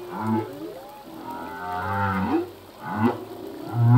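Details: Part of a full-length male humpback whale song: low pulsing groans, a long wavering mid-pitched wail, then quick upswept whoops repeating near the end, over faint sea noise.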